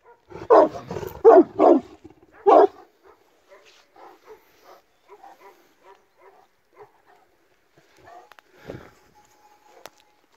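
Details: Illyrian Shepherd facing a Presa Canario mix: a quick burst of four heavy, rough barks in the opening seconds, then quieter rhythmic panting or shuffling sounds and a faint thud near the end.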